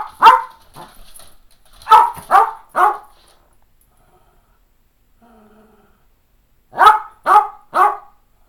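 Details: Cairn Terrier Fergus, eleven and a half years old, barking indoors while wanting playtime, with another Cairn named McKenzi nearby; sharp barks come in bursts of one to three, with gaps of silence between bursts.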